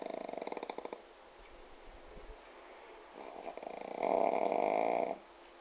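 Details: Sleeping pug, sitting in a lap with head on the table, snoring indoors: fluttery rattling snores at the start, a pause of soft breathing, then a loud sustained snore for about a second before stopping.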